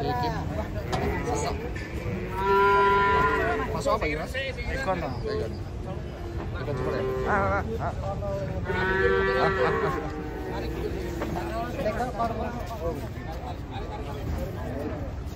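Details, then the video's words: Cattle unloading from a truck; two strained moos a few seconds apart, each with stacked tones, amid people talking, shuffling and steady background rumble. "SAPI LUCU TURUN DARI TRUK BANTENG UNIK"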